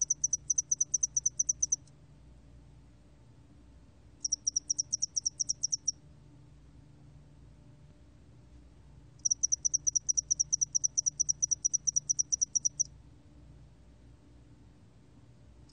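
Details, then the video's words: A spotted-wing hairy cricket sings in 2020 with three bouts of fast, shrill pulsed chirping. The bouts last about two seconds, under two seconds, and over three seconds, with long silent gaps between them. Only a faint hum lies underneath. "점날개털귀뚜라미, 여러번 듣기, 곤충소리"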